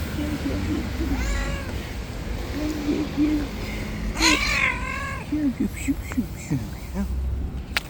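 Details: White street cat, described as angry and in attack mode, giving drawn-out wavering meows with rising and falling bends, one loud long cry near the middle, amid a man's coaxing Turkish speech and low traffic rumble.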